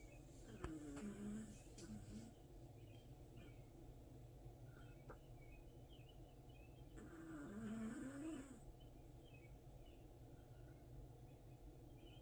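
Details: Dog asleep and snoring, with low, buzzy, wavering breaths rising and falling roughly every six seconds against a constant hiss.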